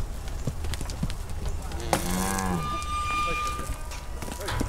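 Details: Moo from a herd of Brahma, Hereford and Brangus cows being rounded up so calves can be sorted: a short arched bawl rising and falling, over low continuous rumble and a faint thin whine.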